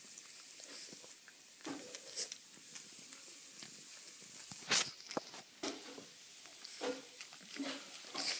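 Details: A pug chewing and smacking its lips while eating a sweet treat it loves, with irregular wet clicks and crunches in a quiet room.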